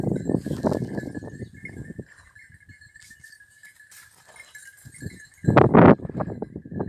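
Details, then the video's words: In Cyprus hare-hunting training, basset hound and beagle voices bay in a dense rapid burst, fall nearly silent for three seconds, then return with loud, strained cries, backed by a steady shrill drone. "ΕΚΠΑΙΔΕΥΤΙΚΟ ΛΑΓΟΥ ΚΥΠΡΟΣ No 33 BASSET HOUND AND BEAGLE"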